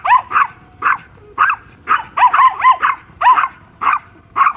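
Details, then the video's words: Small Pomeranian dogs, mother and daughter, confronting a big German Shepherd; sharp high yaps, singly and in quick pairs, roughly two per second with brief pauses between. "Funny Dog Fight | Pomeranian Masti"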